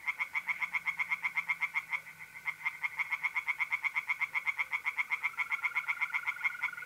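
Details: Tree frogs singing in a pond on an April night in north-east Italy. Harsh, rasping croaks follow each other in fast, even pulses, several per second, without pause. A steady mole cricket trill rises faintly near the end.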